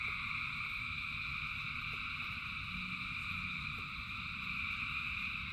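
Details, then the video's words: Frogs calling in the rain, thousands together, their massed trilling merging into one constant shimmering drone at several pitches, while a low rain rumble and occasional soft croaks sit beneath. "Frogs in Rain 2 Hours of Frogs, Thousands of Frogs Singing"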